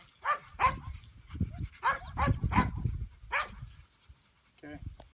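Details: A started two-year-old male English Pointer from Elhew lines gives a burst of about six quick, strong barks. A pause and a faint, softer yelp follow, with low background rumble throughout.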